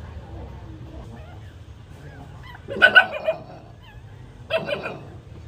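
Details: Two-day-old puppy nursing from its mother, giving two short bursts of high squeaky whimpers near the middle and end, separated by quiet low background rumble.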